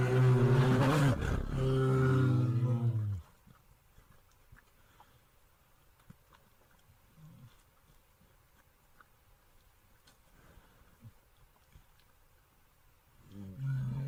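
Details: Bear roaring: a deep, harmonic roar with a low rough base, lasting about three seconds, followed by near silence with faint rustles, and a low rumbling sound returning in the final second.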